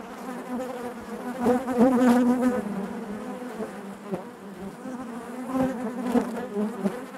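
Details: Inside a honey bee hive, a continuous layered hum of many bees, with one bee's clear whining tone rising and holding for about a second before fading back into the massed drone; loudness rises and falls gently throughout.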